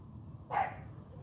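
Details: CHARME, a female AKC champion Cane Corso puppy, during morning bark training: one short, sharp bark cutting through quiet room noise, loudest in the midrange.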